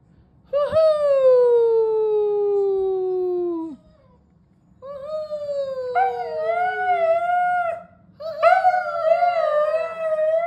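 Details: Pet Siberian Husky indoors joining a mother's singing to her newborn: a long sliding howl that falls slowly for about three seconds, then after a pause two wavering, tremulous howls, with a low steady hum beneath.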